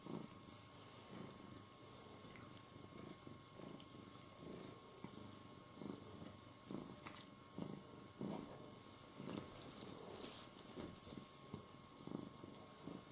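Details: Domestic cat purring steadily indoors, a soft rhythmic pulsing that rises and falls in quick, uneven beats, with faint high ticks and thin tones above.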